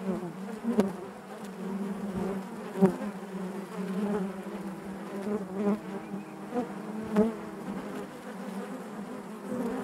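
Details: Honey bees buzzing inside their hive: a steady dense drone around a low fundamental with stacked harmonics, swelling and fading with occasional sharper buzzes of single bees passing close, brief clicks, no other sounds.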